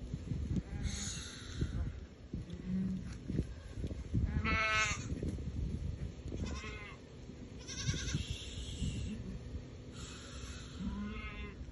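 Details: Goats in a small herd with young at Al-Summan; several wavering, nasal bleats with stacked tones around the fourth, sixth, eighth and eleventh seconds over a steady low rumble and background noise.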